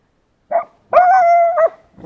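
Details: Hunting laika working a badger during a hunt in Samara Oblast: a short yelp, then a drawn-out tonal yowling bark held at a steady pitch for most of a second, ending abruptly.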